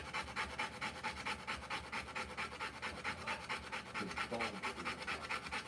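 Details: Rottweiler mother giving birth to puppies, panting rapidly and steadily at about two breaths per second, each breathy, broadband huff evenly repeated; a faint low voice briefly in the background.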